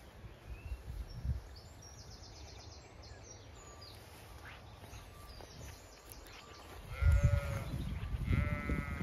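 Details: Zwartbles ewes and lambs at pasture on a County Kilkenny farm in Ireland on a hot May day; faint far-off bleats early, then two short wavering bleats near the end over low rumbling and handling noise.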